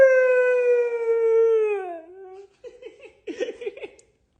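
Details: Indoor pet Siberian Husky objecting to a diet or daily exercise: a long, steady, gradually descending howl of about two seconds, then a series of short wavering, yodel-like woo sounds.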